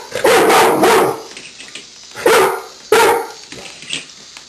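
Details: Golden retriever Miles barks at a walking Star Wars Lego AT-AT. A long, loud bark opens the clip, then two shorter, punchy barks follow about a second apart, with quiet room noise between them.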